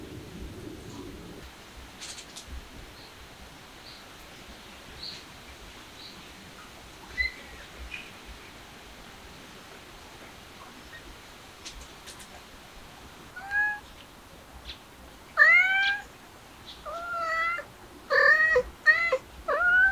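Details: Kittens mewing: after a quiet stretch of soft background, a few thin rising-falling mews, then a quick run of high, clear, arched cries bunched together in the final seconds.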